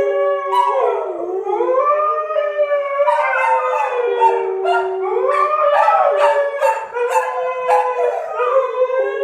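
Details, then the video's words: Sky the husky, provoked by springer spaniels Marshall and Sadie, joins a howling trio: long rising and falling harmonic howls overlapping one another, with sharp yips breaking through near the end. "Annoyed Husky Howling"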